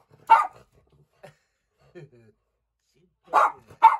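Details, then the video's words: Domestic dog barking at a cat inside a small room, 29 April 2020: a single harsh bark, a long quiet gap with faint murmurs, then two quick barks close together at the end. "Tobey Barks at Lady the Cat"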